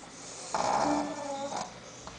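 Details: Sophia, a female Shih Tzu, snoring while asleep indoors: a single breathy, raspy snore of about one second with faint whistling tones inside it, against quiet room hiss.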